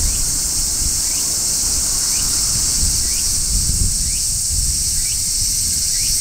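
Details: Midsummer song of a large brown cicada on a tree: an unbroken, loud, hissing shrill like frying fat, overlaid by quiet brief upward chirps repeating roughly every second, with light low background rumble.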